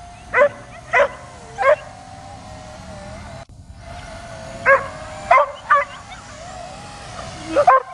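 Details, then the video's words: A dog jumps and barks continuously at a drone overhead. Short, sharp barks come in two clusters of three and four, separated by a quiet pause, against a constant high drone whine. "DOG BARKING AND JUMPING AT DRONE"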